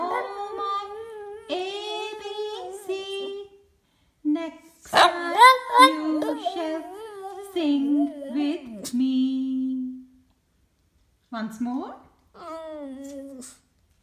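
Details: Boston Terrier howling along to the ABC song: wavering, drawn-out howls with whiny rising and falling notes in several bursts, broken by pauses, with faint music underneath.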